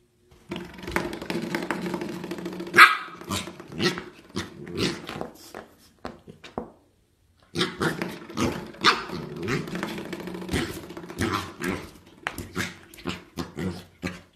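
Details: A Pembroke Welsh Corgi puppy barks and grumbles in short bursts, with a brief pause midway.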